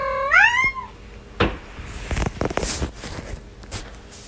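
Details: Cat or kitten yawning in a TikTok compilation: one brief voiced yawn that slides upward and then sinks, followed by clicks, rustling and handling noises with no further calls.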